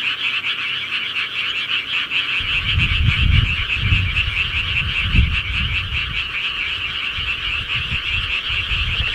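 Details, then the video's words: Frogs calling through the night in the countryside, a constant high trilling chorus of many animals, with deep booming gusts or rumbles rising underneath from about the third second onward. "시골개구리 소리"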